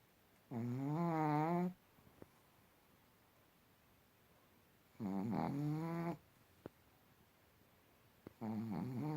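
A Pekingese snores in long, rattling, low-pitched breaths, each lasting about a second.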